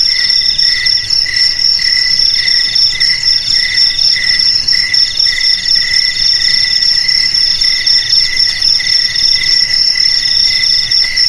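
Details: Crickets trilling nonstop in a dense high chorus, several voices at different pitches, some pulsing in short regular bursts and others holding an unbroken ringing tone.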